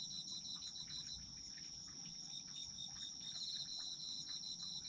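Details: Autumn insects calling together, a constant shrill trill with a lower pulsing chirp repeated quickly and steadily throughout, plus scattered faint clicks.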